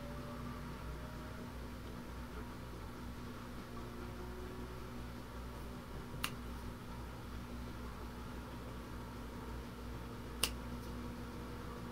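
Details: Quiet indoor room noise with a low fan-like hum and two faint clicks, without any animal sound.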